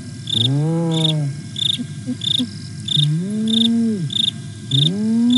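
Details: Hyena contact calling by Aggro and Spoon on the Nkorho camera, Sabi Sands, South Africa, 08 09 2022: three deep, drawn-out whoops, the later ones rising in pitch, separated by quiet gaps filled with chirping crickets.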